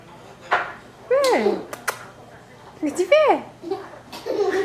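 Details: A pet cat trying to get out of a pillowcase gives two drawn-out meows that rise and then slide down, separated by rustling and soft clicks in a small room.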